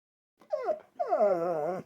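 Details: Mishka Ballou, a pet dog presented as a talking dog, answers a question during a test filmed with night vision. She gives a short yowl, a brief pause, then a longer moaning, howl-like sound that slides down and wavers, like a drawn-out word.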